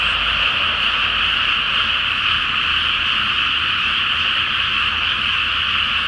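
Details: Massed frogs calling at night from a water-filled rice field before planting, full moon reflected on the surface; a thick, steady trilling din of overlapping croaks, with a faint low droning hum in the background.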